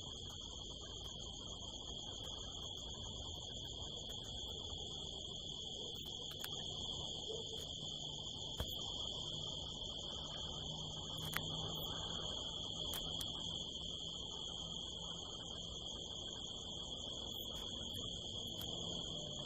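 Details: In the California desert at night under a harvest moon, crickets keep up a constant shrill trill with a higher overtone, steady throughout, with scattered brief clicks and a quiet low hum.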